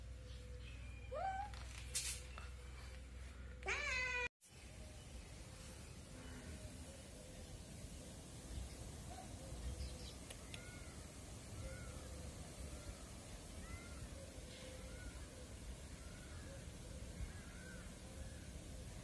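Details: Kittens, adopted street cats, mewing: a few loud rising-and-falling meows in the first four seconds, then after a brief cut a long run of faint, thin, repeated high mews over a steady low background hum.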